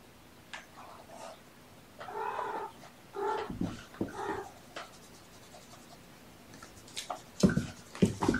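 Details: Kittens from a litter of three born November 22, surrendered with their mother Olympia, on a sleepy afternoon, 13 February 2018, indoors; a run of short, tonal meows around the middle, then scattered knocks and rustling handling noises.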